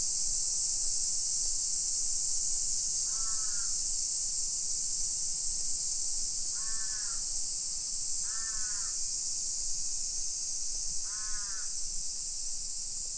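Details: In suburban Nisshin near Nagoya, Japan, on a July 2021 summer afternoon at 1 PM, cicadas keep up a constant shrill drone while a crow caws four times in the second half.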